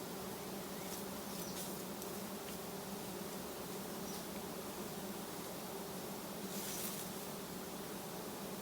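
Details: Giant honey bee colony clustered low beside a road during a honey harvest; a steady, dense droning hum with a low fundamental and a brighter overtone, unbroken for the whole stretch, with faint scattered clicks above.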